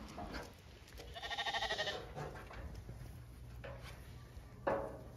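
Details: Zwartbles lambs on a regenerative farm in County Kilkenny, Ireland, gather on a hill for lamb feeding in the rain. A short harmonic bleat stands out over rain patter, with a fainter cry near the end.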